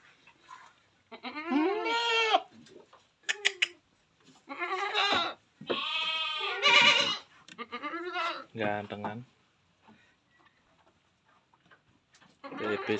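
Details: Etawa crossbred buck goat. Repeated arched, nasal bleats come in bursts of one to two seconds across the recording, mixed with a few sharp clicks and a burst of broad noise, and then a final call at the end.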